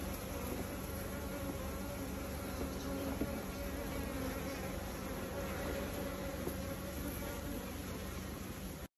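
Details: Many Japanese honey bees collect honey spilled during a harvest, buzzing together in a steady, low droning hum.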